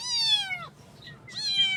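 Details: Cute baby kittens meowing in the morning: two loud, clear, high-pitched meows, each bright and slightly falling, separated by a brief quiet pause.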